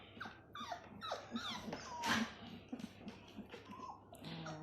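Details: Labrador Retriever puppies playing, full of energy: several short, high, falling whines and squeaky whimpers in quick succession, over soft rustling household noise.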